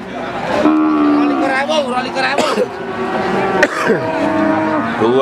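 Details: Cattle lowing at a livestock market in Pati, Central Java, Indonesia, March 2019; long droning moos, one starting after half a second and others rising and falling later, amid crowd noise and sharp clattering knocks.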